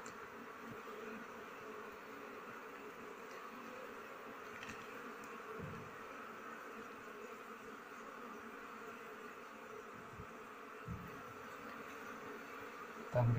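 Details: Colony of honey bees humming during the honey harvest, just before smoke is applied and the comb is sliced with a knife. A steady, droning buzz with faint thumps and a louder knock at the very end.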